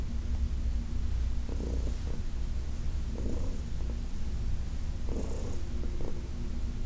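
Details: Heidi, a senior domestic cat adopted from the Humane Society of New York City, purring steadily during a massage in August 2021; a continuous low rumble with periodic breathy bursts every one to two seconds.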